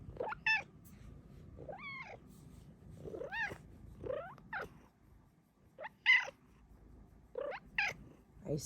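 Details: Female house cat chatting while wanting cuddles gives a rapid series of short chirping meows and trills, some rising then dipping, mixed with her owner's soft talking.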